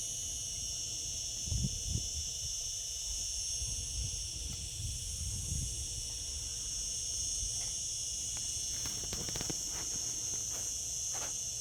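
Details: Cicadas singing in summer: a dense, unbroken shrill buzz holding steady at a high pitch throughout, with soft low rumbling underneath and a few faint clicks near the end.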